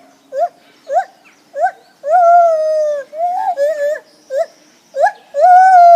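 Lar gibbon giving short rising hoots, then longer wavering, sustained whooping notes.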